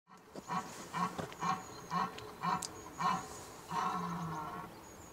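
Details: A red deer stag at Han-sur-Lesse in autumn 2025 gives a run of deep grunting groans ending in one long roar, the rutting bellow of the breeding season, driven by rising testosterone as males join hinds.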